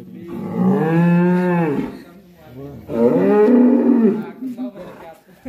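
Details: Black cattle, raging in its pen, giving two deep, sustained moos, the second wavering and trailing off, with low background rumble and crowd murmur.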